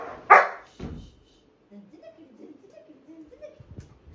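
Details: Labrador Retriever puppy playing with his new soft toy indoors; one sharp loud bark, a second shorter bark, then soft whining, grumbling play noises.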